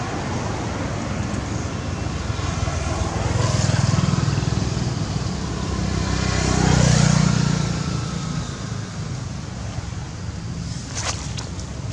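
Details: Loud engine rumble from passing vehicles swells and fades twice, with wind-like roar and a few sharp clicks near the end.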